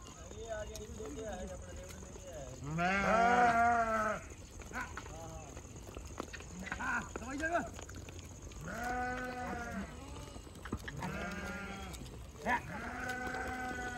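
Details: Many goat kids jumping and playing together, yelling: loud wavering bleats, several overlapping, some high and quavering, in bursts across the clip, with a faint steady whine in the background.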